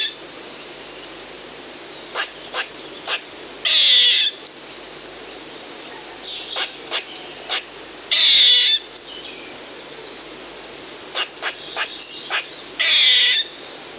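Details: Calls of an eastern gray squirrel: runs of quick dry chuck notes, two to four at a time, each run ending in a loud wheezy buzz lasting under a second, repeated three times against low background hiss.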